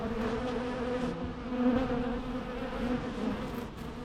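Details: Continuous low droning of bees, an even hum with layered tones and small swells in loudness, no other sounds.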